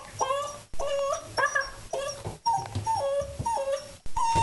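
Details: Mercy, a lower mid content wolfdog, whines through his first bath in a series of high, wavering, tonal whimpers that rise and fall in short bursts with brief pauses. A person talks softly in the background.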